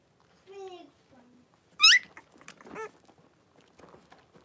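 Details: Blenheim Cavalier King Charles Spaniel litter of five puppies, born at New Year, indoors in a puppy pen with their mother Paris: a short descending whine, then a sharp high rising squeal and a shorter squeaky whimper, otherwise quiet.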